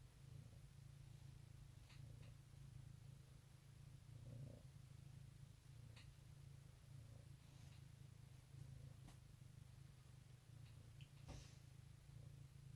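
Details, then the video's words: Domestic cat purring on an Easter 2018 morning, a steady low continuous rumble throughout with faint scattered clicks and rustles in a quiet room. "Goodmorning Purrs"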